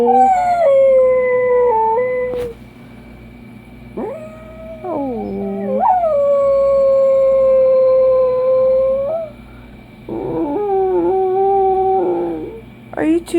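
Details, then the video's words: Dachshund howling in a series of drawn-out tones, some held steady for several seconds, others bending up or down, with short gaps between phrases and a constant low hum in the room. "Dachshund howling"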